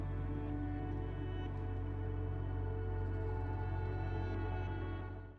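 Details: Sustained ambient music with deep droning tones and shimmering overtones, no animal voice present. The layered, steady chords hold evenly throughout before fading out at the end.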